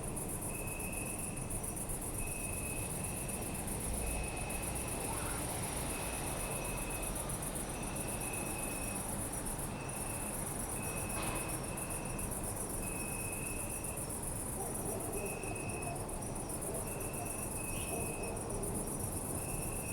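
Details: City park at night with crickets chirping, recorded on a Zoom F3 with binaural mics: persistent high trills and rhythmic broken chirps, a brief soft click around the middle, and continuous low traffic rumble.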